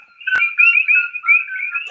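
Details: Common coqui frogs in Hawaiian jungle chirp in a nightly chorus, overlapping two-note whistles filling the air.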